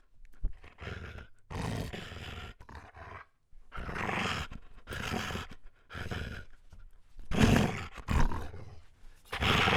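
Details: German Shepherd letting out loud, gruff barks and groaning vocalisations, roughly every one to two seconds, deep and rasping with irregular rhythm.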